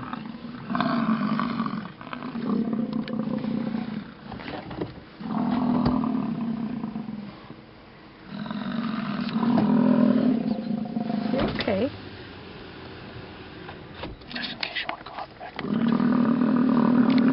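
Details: A herd of wild American bison in a display at Yellowstone beside a road with stalled traffic; deep, rumbling drawn-out roars lasting one to two seconds each, repeated with short pauses, plus faint vehicle noise between calls.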